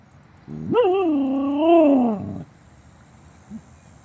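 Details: A female Siberian Husky, upset by a car alarm going off, gives one drawn-out wavering howl-like vocalization lasting under two seconds, rising then dipping and rising again before fading, followed by a brief soft grunt; background otherwise quiet.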